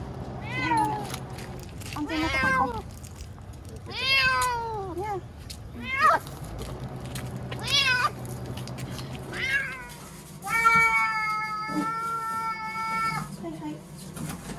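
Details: Timid ear-tipped cat Chanta, caught and shut in a bathroom during the September 2020 approach of Typhoon No. 10 in Okinawa, meows repeatedly; about seven wailing cries, mostly short rising-then-falling calls, ending in one long steady howl, low hum underneath.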